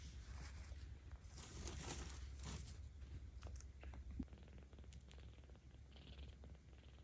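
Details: Low continuous rumbling purr from a 17-day-old kitten being petted in Tama City, Tokyo, in October 2022, partly covered by soft rustling and handling noises, with a small click near the middle.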